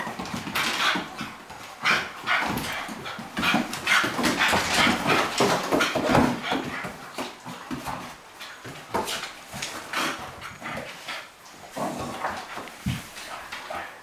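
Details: Indoor play between a Cairn Terrier and a Flat-coated Retriever; rapid run of rough growls, snorts and occasional barks, about three bursts a second, tapering into quieter scuffles near the end.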